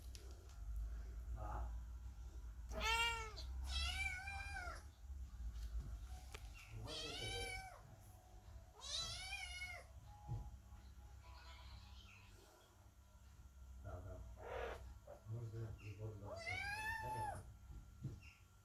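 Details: Kittens meowing at the door during cat Chloe's birth, waiting for new siblings; scattered short and longer meows, some quick bursts, fainter cries later, under heavy low-frequency rumble and household noise.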